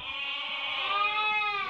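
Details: Merino sheep imported from Hungary, viewed by a buyer from Turkey, giving one long steady quavering bleat, rich and nasal, lasting nearly two seconds in a quiet setting.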